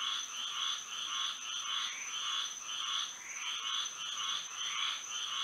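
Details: Moonlit night in Florida with frogs singing, a steady procession of nasal pulsed croaks roughly twice a second, swelling and fading, set against a persistent thin high drone.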